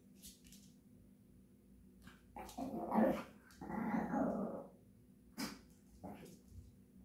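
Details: Japanese Chin dog 'singing songs': two drawn-out, rough, growling vocal bursts in the middle of the stretch, framed by a few short, sharp sounds before and after, in a quiet indoor setting.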